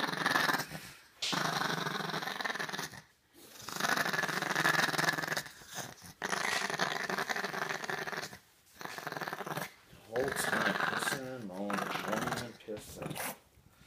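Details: Small Chihuahua grumbling and growling as it is dried off, harsh rasping bursts lasting a few seconds each with brief pauses, ending in a short whining squeal; a man speaks in the background.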